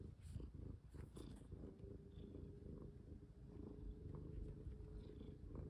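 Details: Pet cat purring during play as a collar is put on, recorded close up indoors; a continuous low throbbing purr with faint rhythmic pulsing, a thin steady tone and light rustling.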